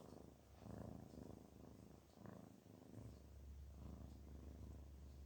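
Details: Relaxed, happy cat named Garfield purring: low throbbing rumble rising and falling with each breath, a steady deep hum underneath growing stronger toward the end.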